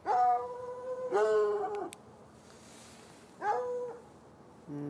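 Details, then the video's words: Nighttime barking from two hounds chained outside by an irrigation ditch, heard from about 10 yards: two ringing, drawn-out barks close together, quiet, then a third shorter bay. "Barking dogs"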